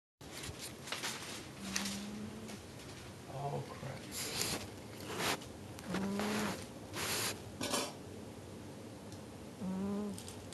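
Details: Jigga, a male pet cat, snores while sleeping indoors: low, steady hum-like snores with faint overtones recur at intervals of a few seconds, amid sharp clattering and clinking background noises in a small room.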